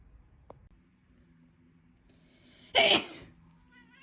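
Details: A cat with a famously loud meow lets out one sudden, harsh, raspy yell lasting about a third of a second, rough and noisy rather than tuneful, followed by a few faint squeaky notes over a low steady hum.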